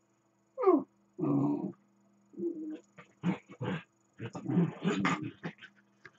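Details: Two dachshunds at rough play, one lying still while the other runs around him, trade rumbling growls, gravelly snarls and grumbles in uneven bursts; a sharp higher yelp opens, later growls grow noisier and more tangled.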